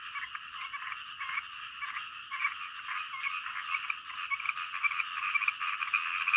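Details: Frogs calling in the middle of the night, a dense, uneven chorus of rapid croaks that merge into a continuous buzzing band, with louder bursts rising near the end.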